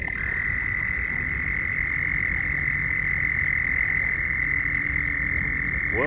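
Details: A continuous shrill trill from mating frogs runs without pause from start to finish, with faint lower tones and a quick rising sweep at the very end.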